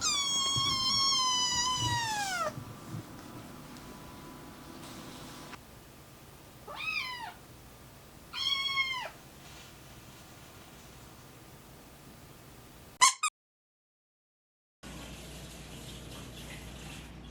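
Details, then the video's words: Naru, a young cat whose voice is changing while fighting FIP, gives a quick series of drawn-out meows. Each starts high and slides steeply downward. A rapid squeak follows, then a short silence and a low steady hum. "변성기가 찾아온 고양이"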